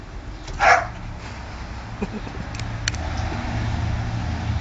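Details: Two pet dogs, Mali, a young beagle, and Bruiser, an older black dog nearly 13, play-wrestling; one single loud, harsh bark bursts out early, followed by faint clicks and scuffles over a steady low rumble.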